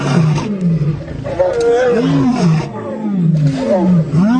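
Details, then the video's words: Lions fighting produce deep, tonal growls that waver up and down, several overlapping snarls following one another without break over a few seconds. "Lion attack Lions Against All Fighting Lions"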